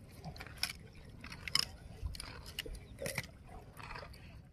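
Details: Swamp buffalo (kerbau rawa) eating grass, giving crunchy 'kriuk-kriuk' chewing: sharp, dry crackling bursts of tearing and munching roughly every second, some clustered in quick pairs, over a faint low rumble.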